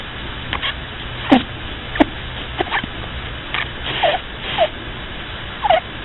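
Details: A sleeping pet rabbit snores indoors: soft breathy puffs and short squeaky chirps, some sliding downward, come at uneven intervals over a steady low hum.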